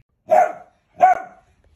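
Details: Dachshund barking twice, about three-quarters of a second apart. Each is a short, sharp, mid-pitched bark that cuts off cleanly, with silence around them.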